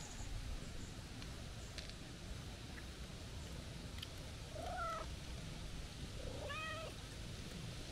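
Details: A stray calico cat comes to greet a person with two short, bright meows, rising then falling, in a happy-sounding voice.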